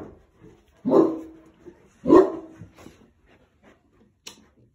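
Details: Boerboel mastiff alerting to a car pulling up outside the house; two deep, booming barks roughly a second apart, followed by quiet pauses and a faint click.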